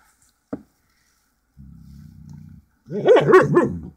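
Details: Two pet Siberian Huskies conversing, secretly recorded; after a click comes a low steady grumbling moan, then a loud wavering yodel-like howl full of bending tones, followed by a person remarking that the dog is now quiet.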